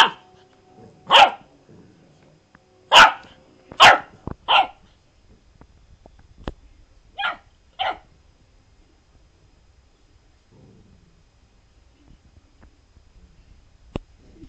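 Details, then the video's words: Golden Retriever puppy barking in reaction to a lemon given as vitamin C, which it dislikes; short sharp barks in an irregular burst of four, then two more after a pause, a quiet room otherwise. "Puppy Golden vs Lemon"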